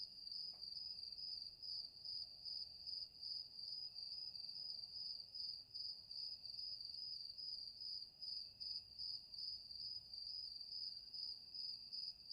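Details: Crickets at night: a continuous high, shrill trill that pulses rapidly and steadily, with a fainter steady tone beneath it. The trill runs without a break, and no other animals or voices stand out.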